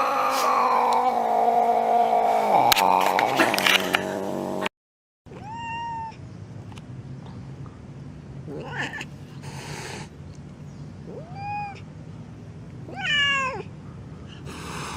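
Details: Angry domestic cat with a loud harsh yowl at first, then after a brief gap several short, rising meows spaced a couple of seconds apart over a low background hum.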